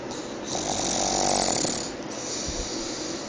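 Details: Pug sleeping and snoring, filmed with an Android phone: one long rasping, hissy snore breath lasting over a second, then a softer, quieter breath as it fades.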